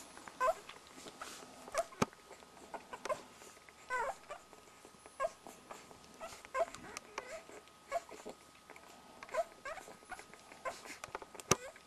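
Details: Week-old Border Collie puppies drinking milk, with rapid little squeaks and whimpers in clusters, some clicking sounds and a faint background hum.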